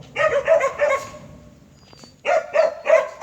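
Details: Native Jindo dog from the Chungjinhoe kennel giving loud, rapid barks, three in a quick run, a pause of about a second, then another fast run of three.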